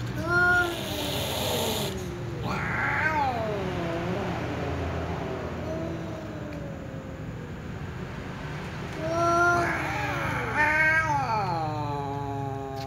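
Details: Two ginger cats near a door meowing: drawn-out, wavering meows that rise then fall, one early, one near three seconds, then a pair close together late, over a steady low hum.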